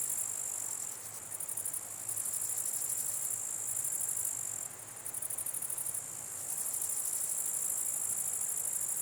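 Grasshoppers fill the air with a thin, very high buzz, pulsing in rapid bursts that swell and fade. The chorus runs on steadily with a soft background hiss and no other clear sounds.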